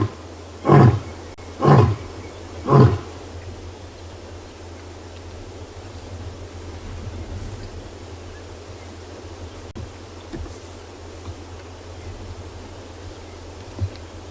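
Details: Huge male lion on the quarry at Tswalu Kalahari Reserve, South Africa, calling after scent marking during a 5 August sunrise game drive. Three loud, deep grunts come about a second apart, then fade into a long stretch of quiet low rumble.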